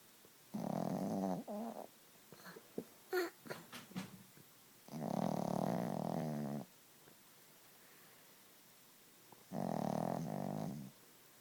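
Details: Loud snoring from Gidget, a sleeping Chihuahua: three drawn-out rasping breaths spaced a few seconds apart, with soft snuffles and small clicking sounds between the first two.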